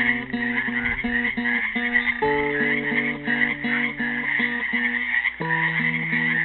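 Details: Frogs trapped in a pool at Helix, Oregon, on Earth Day 2016 give a dense, continuous trilling chorus with a steady pulsing texture, while a classical guitar plays a slow melody of plucked notes and chords.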